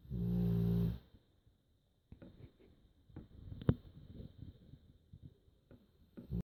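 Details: Sleeping dog Joschi lets out a single low, buzzing snore in the first second, followed by quiet rustling and faint shuffling noises in a small room.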